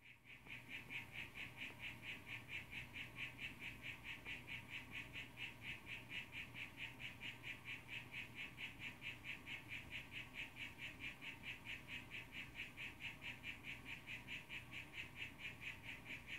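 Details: Young male harlequin poison frog, blue form, calling to a female, filmed zoomed in on a cell phone; a steady run of short buzzy pulsed notes, about two per second, continuing evenly throughout over low background hum.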